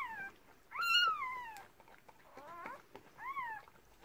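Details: Newborn Cardigan Welsh Corgi puppies, from a Red Merle mother's first litter of six, cry during the birth: high, arching squeals that rise then slide down, repeated in three bursts, with faint rustling.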